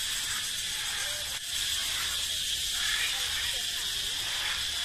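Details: Forest echoing with the song of male cicadas, a display of male vigour. An unbroken shrill, high buzzing drone fills the clip, interrupted only by a short sharp click early on.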